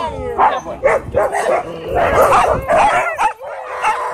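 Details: After meeting a pitbull at a dog park, a husky lets out a string of quick, choppy yelping screams that run together, followed by a sustained higher whine.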